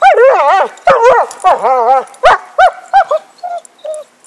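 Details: Loud, tonal whine-barks from the dog Happy, excited over a stick: wavering, drawn-out yowls first, then shorter, evenly spaced yelps that grow fainter toward the end.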